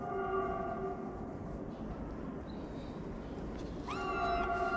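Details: Stray street kitten in Morocco, fed daily and climbing onto its feeder's lap, utters a short rising meow near the end, after a long stretch of steady tonal background hum.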